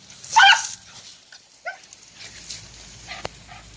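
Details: Dachshund excited and going crazy for water outdoors; one loud sharp bark at the start, then a few fainter short yips and barks, with a sharp click and light background noise.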